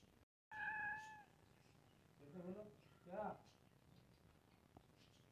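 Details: Domestic cat, one of two cats, giving a clear, steady mid-pitched meow lasting under a second, followed by two short, lower voiced sounds; quiet indoor background.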